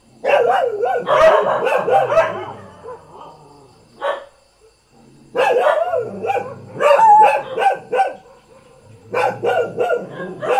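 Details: Domestic village dog in Thailand barking in rapid rough bursts, a pause with a single yelp, then more clustered barking with some whining overtones, several barks per second in each burst.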